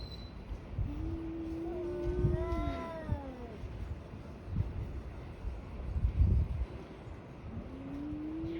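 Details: Two tabby cats brawling: a drawn-out low yowl swells into a wavering, harmonic-rich wail that falls away, then after a pause a fresh low moan begins rising, over a steady low rumble of background noise.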